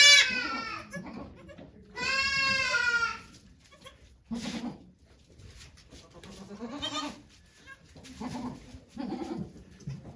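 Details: Domestic goat named Okayu at Yoshigake Farm, Japan, during her birth of two kids on 3 May 2023, with volunteers watching: a short wavering bleat, then a longer quavering harmonic bleat, followed by quiet human voices.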